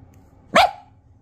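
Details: Pet Italian Greyhound at play gives a single sharp bark, short and bright, with a quiet indoor hum in the background.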